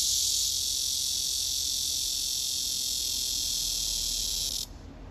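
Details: Courting cicada, the herald of summer, singing a love song: an intense, high, sizzling buzz that runs steadily and then cuts off abruptly near the end, leaving quiet background.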